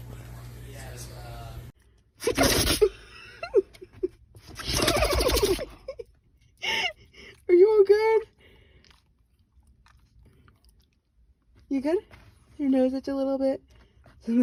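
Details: Pet dog sneezing indoors: two loud broadband sneeze bursts near the start, a person saying bless you, then human speech and exclamations with brief quiet gaps.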